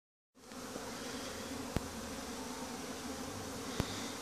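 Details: Honey bees on a winter cleansing flight around hives kept in the Langstroth-Root system, recorded around 11–12 January; steady, dense buzzing hum fills the clip, with two sharp clicks.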